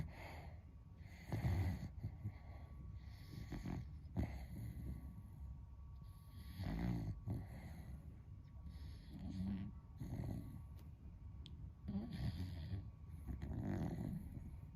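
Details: Beagle asleep, a friend's dog, snoring loudly like a person: deep, rasping low snores roughly every five seconds, swelling and fading, over a quiet indoor background.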